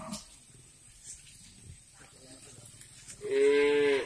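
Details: Cattle on a breeding farm in Riau, Indonesia: after three seconds of quiet shed noise and faint clatter, a loud, fairly high, steady moo begins and carries to the end.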